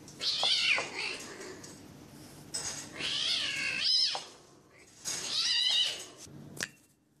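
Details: Bengal kittens sparring playfully, filmed in Kuching, Sarawak (Malaysian Borneo); three loud, drawn-out wavering mewls, each near a second long, separated by quiet gaps, ending with a sharp click.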